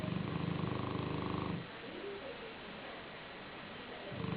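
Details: Joshua, a black Shar-Pei sleeping on a pillow, gives a low rattling snore for about a second and a half, then quiet breathing until the next snore begins at the end.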